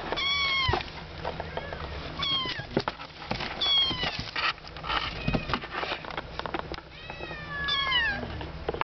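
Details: Kittens about one month old, three born at a friend's home, lively and playful: several high, thin meows that rise then fall, some in quick pairs, over steady low hum and handling noise.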